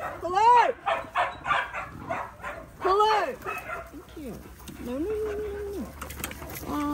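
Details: In a paddock, young Australian cattle dog Linc romps with bigger puppies. Several bursts of bright, arched yelps come in quick succession, then a drawn-out flat whine and a final short yip against soft background noise.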